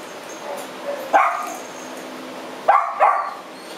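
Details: Punk, a female French Bulldog with hip joint problems who crawls along the ground, at the TUAPA shelter on 4 July 2010. Two short, sharp barks come about one and a half seconds apart over a quiet, hissy background.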